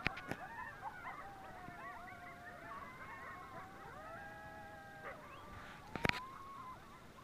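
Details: At sunrise during a bike ride, a group of coyotes howls and yips, with quavering calls falling into long level notes that overlap; sharp clicks and clatter break in near the six-second mark.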